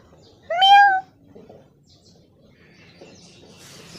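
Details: A single short, high kitten meow rising then falling, followed by quiet room noise and faint rustling.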